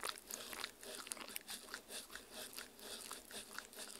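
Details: Indoors, a dog munches on jello worm Halloween treats of strawberry, meat and agar-agar, recorded on a Tascam R-40: rapid crisp chomps and sticky smacking pulse in quick succession with no pauses.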